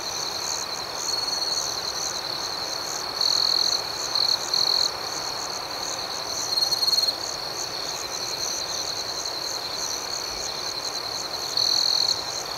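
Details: Night chorus of crickets, a continuous shrill ringing tone overlaid by rapid rhythmic pulses, with several short louder bursts of trilling standing out from the background hum.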